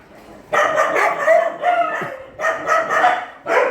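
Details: Dogs at a shelter during night feeding, one of about eight small cages; bursts of harmonic barks in two clusters, the second set slightly sharper, with a brief quiet gap between.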